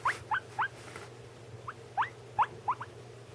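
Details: Pet guinea pigs vocalizing while one eats: about eight short, sharp rising squeaks in quick irregular succession, some in closely spaced pairs, with a low constant hum beneath.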